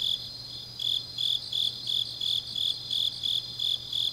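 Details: Night-singing autumn grass insects in Changnyeong, South Gyeongsang: loud, high-pitched chirps in an even rhythm, around a dozen in four seconds, layered over a quieter continuous trill and a low steady hum.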